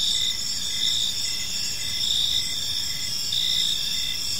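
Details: Evening park chorus of crickets, a bright high-pitched layered trill with rhythmic chirp pulses about once a second, steady throughout, soft low-frequency ambient hum underneath.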